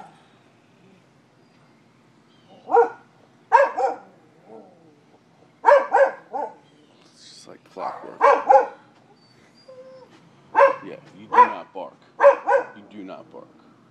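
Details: Domestic dog barking outdoors in Seminole, Florida, in October 2015 after being let outside in the morning; loud, sharp barks come in short clusters of two or three, repeating every couple of seconds over a quiet background.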